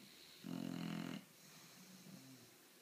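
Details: Bulldog, 10 months old, snoring: one loud, buzzy, rattling inhalation lasting under a second, followed by a softer wheezing exhale, indoors.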